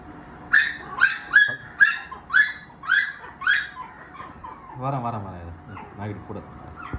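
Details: Maltipoo and poodle puppies offered for sale in Chennai give a run of sharp, high yapping barks roughly twice a second, then softer whimpering whines, with some background chatter.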